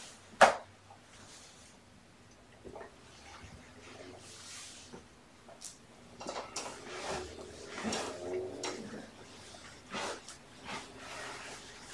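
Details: Soft clatter of dishes and cupboard doors in a small indoor room, with a sharp knock near the start and faint murmured speech, but no animal voices.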